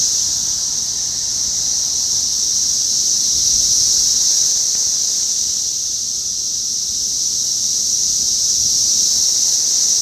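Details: Chorus of 17-year periodical cicadas, Brood X, outside an apartment building in North Bethesda, Maryland, USA, on 9 June 2021; a steady, unbroken high whirring drone that holds level throughout, with faint low rustle beneath.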